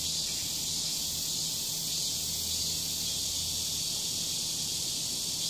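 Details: Loud summer cicada chorus in a residential complex, a continuous high, dense buzzing drone held at even strength throughout, with a faint low hum beneath.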